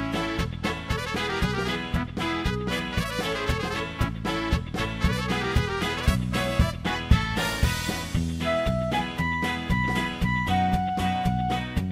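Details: Upbeat swing jazz with brass and a bouncing rhythm plays continuously, with no animal voice audible.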